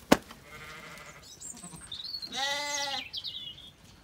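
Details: Zwartbles ewes on a farm in County Kilkenny, Ireland, calling at feeding time on a sunny day in an orchard; soft earlier bleats, then one loud, long, wavering harmonic bleat, with a sharp knock at the start and a woman's voice.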